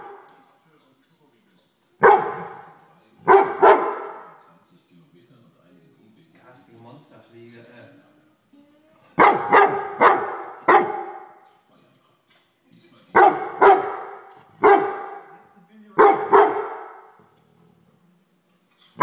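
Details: Grey Weimaraner dog berating a house fly. Two barks open, then a quiet stretch with soft low murmuring, then clusters of rapid, sharp barks, four in a row and later several more in uneven bursts.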